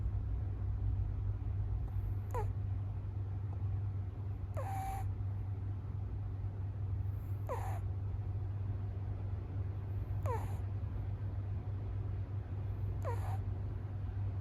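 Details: Snoring American Shorthair kitten asleep, six days after arriving and separated again from the resident cat; five short whistling, downward-sliding snores come at regular intervals of about two to three seconds, with a low droning background.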